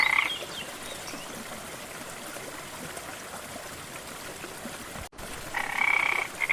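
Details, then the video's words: Frog by a rainforest waterfall gives a brief rasping croak at the start, then a longer pulsed, buzzy croak near the end with a short extra note. A constant hiss of falling water fills the gap between calls. "Waterfall & frog sounds"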